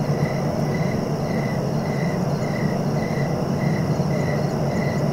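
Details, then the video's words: Short cricket chirps repeat steadily, nearly two per second, over a dense low rumbling noise. "Relaxing cricket sounds for sleeping"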